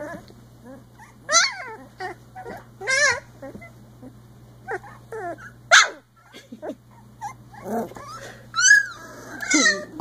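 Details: Icelandic Sheepdog puppies aged three weeks, playing, let out sharp high yelps and bending, squeaky whines in quick separate bursts, some sliding upward, against a quiet background with a low hum.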